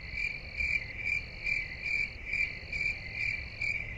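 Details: High, bright cricket chirps in a quick regular rhythm, roughly two or three per second, with an intermittent thinner higher trill running alongside over a soft low rumble.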